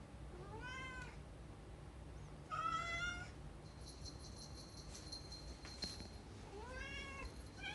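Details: Rescue cats, indoors, longing for the outside world, give three separate meows, each a rising then falling harmonic cry under a second long. Low steady hum and a brief high whine sit in the background.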